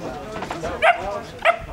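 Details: Twelve-week-old puppy barking: two short, high, yappy barks about half a second apart, with a person's voice softly in the background.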